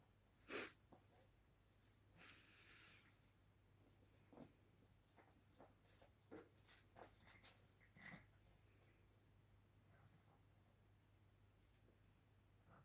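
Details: A playful pug snorts and wheezes in short, breathy bursts while playing, with a low electrical hum underneath.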